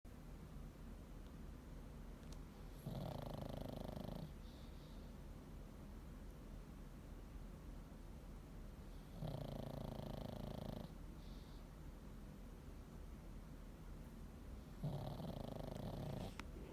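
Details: Pug snoring: three long, low, rasping snores about six seconds apart, each lasting more than a second, with a faint whistling edge over a steady background hiss.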